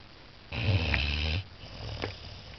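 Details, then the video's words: Walter, a Saint Bernard puppy aged 14 weeks, asleep indoors after a full day of fun, gives a single loud, buzzing snore of roughly a second with a deep throaty rumble, then a softer breath follows. "14 week old Saint bernard puppy snoring"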